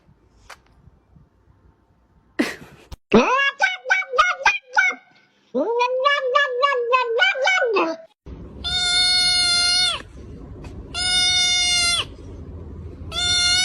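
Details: Domestic cats in a funny compilation, heard indoors: several strained, wavering meows between about two and eight seconds, then three long, steady, high-pitched harmonic meows, each about one to two seconds, separated by short pauses.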